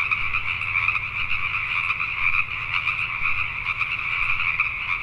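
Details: A crowd of Pacific tree frogs calling after dark in Richmond, British Columbia, Canada, their repeated croaks merging into one constant two-toned chorus, over a faint deep hum.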